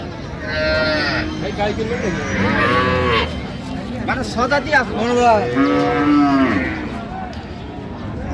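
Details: Cows with their calves at Raniganj cattle market in Dinajpur on 27 November 2025: several drawn-out, harmonic moos overlap and rise and fall in pitch, with market murmur underneath.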